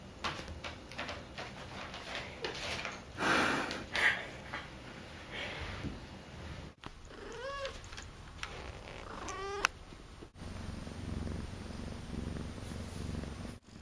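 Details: Akari, a female pet cat, filmed during her first two months at home, gives two short, faint, rising-then-falling meows in the second half, after a stretch of indoor rustling and handling noise.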